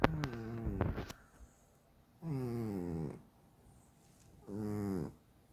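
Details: Domestic cat snoring indoors, a sleeping cat whose snores keep its owner awake; a couple of clicks open the clip, then two harmonic, droning snore bursts of about a second each, separated by quiet breathing pauses.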